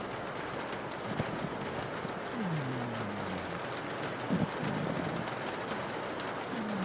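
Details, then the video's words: Pug asleep and snoring while rain patters on a window; a few low, whistly snores slide downward at irregular intervals, partly buried under the dense hiss of falling rain. "a pug is snoring"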